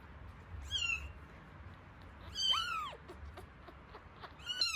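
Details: One-week-old rescued kittens at feeding time, one with eyes starting to open; several thin, high, downward-bending mews spaced about two seconds apart over a soft background hiss.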